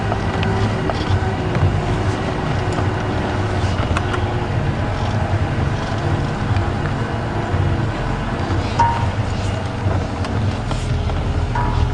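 A steady low vehicle engine rumble with faint wind and distant indistinct voices, and no clear animal sound.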